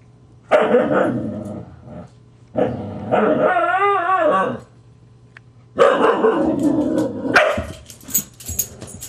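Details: Grouchy adult Husky snapping and baring teeth at a teasing Husky puppy: three loud, harsh growling bursts, the middle one a long wavering, moaning grumble with rising and falling tone, separated by short quiet gaps.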